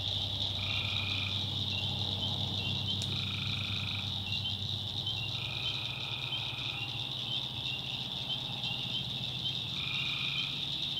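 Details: Night swamp in North Carolina's backwoods filled with tree frogs: a continuous shrill chorus overlaid by repeated mid-pitched trills lasting about one second, coming at uneven intervals, plus a faint low hum.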